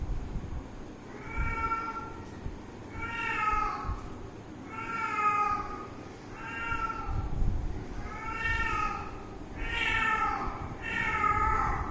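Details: Cat playing with its owner, giving a series of harmonic meows roughly every one and a half seconds, each slightly falling in pitch, over low background rumble and faint voices.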